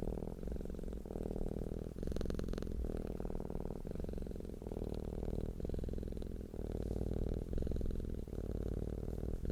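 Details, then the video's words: Low, steady purr from a relaxed, happy cat: a rumbling hum of fast, regular pulses that breaks into short phrases about every second, with slight breathy hiss in one phrase. "CAT PURRING SOUND deep humming sound of a purring cat"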